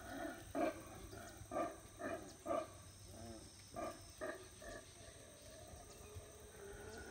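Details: Howler monkeys beginning their usual morning routine at Howler Monkey Resort in the jungle of Belize on a rainy morning; a series of about ten short, hoarse barking grunts comes at uneven intervals, loudest early, then quieter.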